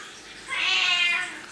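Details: Domestic cat meowing indoors, a single drawn-out harmonic meow of about seven tenths of a second, rising then gently falling, with faint room hiss behind it.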